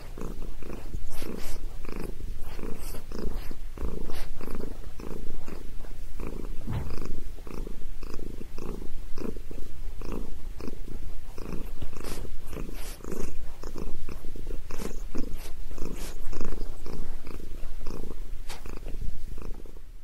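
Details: Long contented purring from Sabrina the cat during a head massage: a low, buzzing rumble pulsing rapidly and evenly, occasional brief rubbing or clicking sounds in between.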